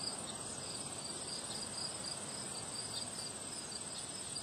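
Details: Crickets on a windy day give rapid high chirps in a steady, evenly spaced pulse train over a continuous shrill drone, with gusty wind noise filling the low range.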